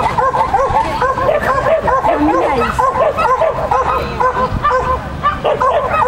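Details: Shetland Sheepdog named Lesya at a "Child and Dog" competition on 31 May 2015, giving rapid, high, sharp barks in quick succession, almost continuous, with voices talking in the background.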